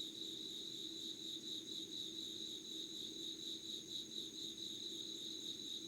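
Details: Late-summer insect voices at five in the morning, 25 August 2019, Yugawara town, Kanagawa, Japan: an even, high-pitched ringing trill holds without pause, accompanied by a faint upper tone and a low background drone.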